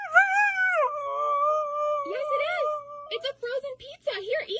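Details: Siberian Husky vocalizing as if asking for pizza: a long wavering howl that slides down and holds steady, then a choppy run of short yodelling, talk-like whines rising and falling.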